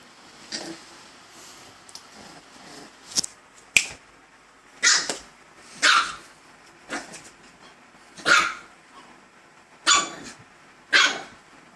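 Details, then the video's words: Gizmo, a dog, barking at himself: sharp broadband barks in an uneven series, seven or eight loud ones after softer scattered sounds, spaced about one to two seconds apart. "Gizmo Barking at Himself"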